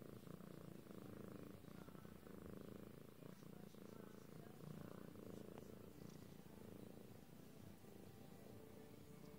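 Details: A lilac British Shorthair cat purrs steadily, a low, rumbling drone that pulses evenly without a break.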